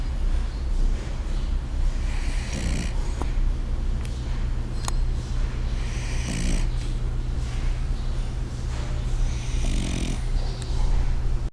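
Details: Sleeping French bulldog with increasingly loud snores: three hoarse, raspy snore bursts about every three and a half seconds, separated by quieter breathing, with a constant low hum and a few faint clicks.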